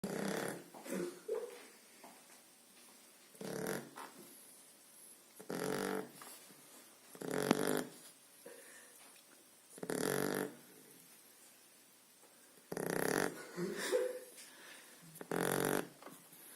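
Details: Blue Shar Pei puppy, two and a half months old, snoring while asleep indoors: broadband rasping breaths in bursts roughly every two to three seconds, about seven snores, quiet between them.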